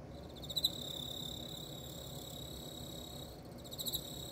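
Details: Emma field cricket during mating: a continuous high, shrill trill with a steady ringing tone and faint rapid pulsing, over low rumbling background noise.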